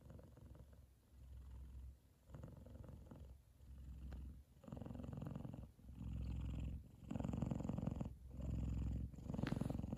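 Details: F2 Savannah cat Kumba purring loudly while asleep and content, his brother Taj lying on top of his head; a deep rumbling purr in long pulsed bouts, each breath phase lasting about one to two seconds, growing louder toward the end.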